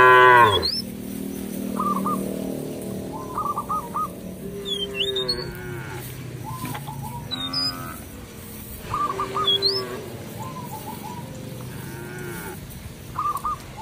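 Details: Cows wander a village field, lowing to call their companions home to the barn. A loud moo opens, then softer low moos come at intervals. Chirping birds call repeatedly throughout over a low background hum.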